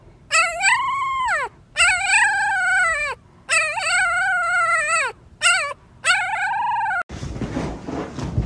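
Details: Siberian Husky, a crazy and hyperactive dog, howls in about five arched, drawn-out cries, each rising then dropping at the end, separated by brief pauses, before a burst of broad noise.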